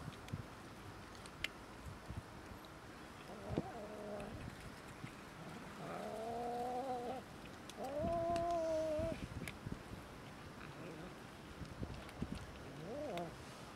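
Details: Several cats and a kitten quarrelling over food in a small fight: drawn-out, wavering yowls with a rising-falling pitch, three long howls in the middle, a shorter one near the end, against a steady low background hum.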